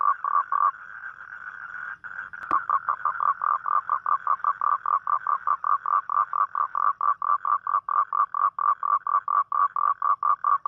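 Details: Toad at night, calling for a mate as on rainy nights; a few pulses and a smoother drawn-out tone open, a sharp click near the middle, then evenly repeated mid-pitched croaking pulses, roughly four per second.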